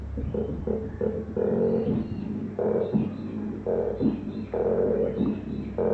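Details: Koala at Featherdale Wildlife Park giving loud, deep, rasping bellows in bursts about a second long. Snoring-like rough phrases alternate with short gaps over a constant low drone.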